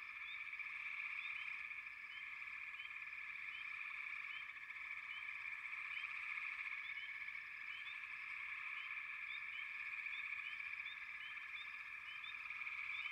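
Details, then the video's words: A dense massed frog chorus forms an unbroken trilling hum, with small upswept chirps scattered over it every fraction of a second. The loudness stays nearly level throughout. "Frogs, лягушки"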